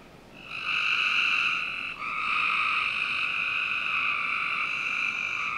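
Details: Summer-night frog chorus in a home backyard in Northern Virginia, a long buzzing trill starting after half a second and running almost unbroken to the end, with one brief break near two seconds, faint hiss underneath.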